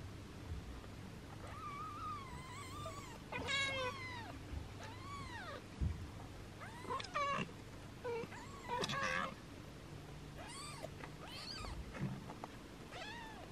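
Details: Six-day-old kittens, a black one named Yami and a lavender one named Hisu, mewing while their mother cat washes them indoors; many short high arching squeaks, some rising and falling, in irregular bursts over low background hum.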